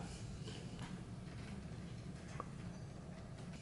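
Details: Quiet indoor room tone with a low steady hum and a few faint soft clicks, no animal voice.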